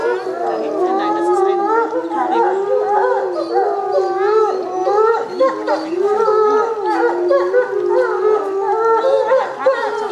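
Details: Timber wolves in an enclosure howl in chorus, started by the pack leader's squeaks and behaviour; many overlapping, gliding howls weave up and down continuously, with short yips and squeaky breaks between them.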